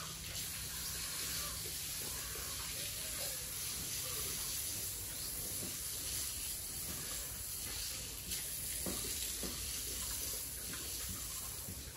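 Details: Steady gushing water like a running tap or hose fills the whole stretch, with faint speech underneath and no clear animal call.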